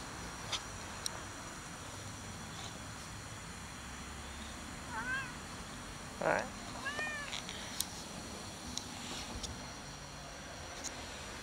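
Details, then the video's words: Abandoned fluffy female cat living on top of a shack, meowing for affection rather than food: a few soft, arching meows around the middle, fairly quiet against steady background hiss and faint clicks. "abandoned cat living on top of a shack is meowing loudly for love, not for food"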